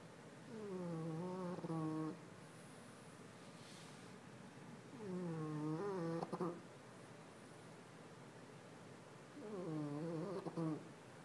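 A French Bulldog snores in loud, rattling, tonal breaths that come roughly every four seconds.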